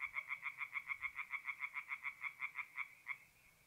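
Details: Tree frog calling at night from a forest pond in north-east Italy in mid-April: a clean series of about twenty sharp, evenly spaced croaking pulses, quickening slightly, then stopping, leaving faint low background hum.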